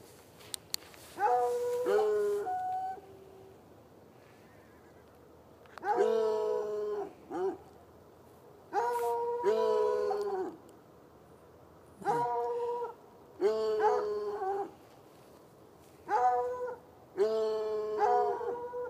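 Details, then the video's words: Two hounds, one white and one dark, chained outside at night in a bushy lot by a red outbuilding and an irrigation ditch, about 10 yards off; drawn-out tonal bays in paired bursts every few seconds, with quiet gaps between. "Barking dogs"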